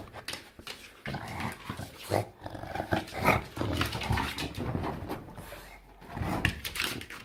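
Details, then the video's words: Enzo, a pet bulldog indoors, lets out weird gremlin-like vocalisations: rough, irregular growling grumbles and snorty bursts, often close together. A person's voice is heard softly in between. "Bulldog making weird sounds looking like Gremlin"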